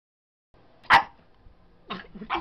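A Boston Terrier puppy gives one sharp, bright bark, then two shorter, softer barks, claiming its spot.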